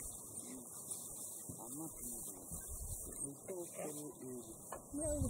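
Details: A pack of African wild dogs about to set out hunting twitter and squeal together, several voices overlapping in quick, bending tones. Recorded in Manyeleti Game Reserve in October 2019.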